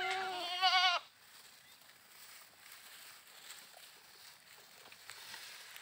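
A goat lets out a single bleat of about a second, nasal and quavering with a trembling vibrato. Afterwards only faint background noise remains.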